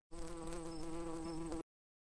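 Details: Bee buzzing steadily, a continuous droning hum with a low fundamental and stacked even overtones, slight wavering, held for about one and a half seconds before stopping; from a children's farm animal sounds sequence.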